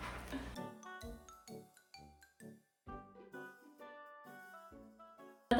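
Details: Light tinkling instrumental music with chiming notes, no animal sound present.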